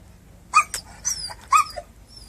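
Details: A dog on a boat gives three short, sharp, slightly strained barks about half a second apart on a July boat day, with a person murmuring between; it hears another dog barking on another boat.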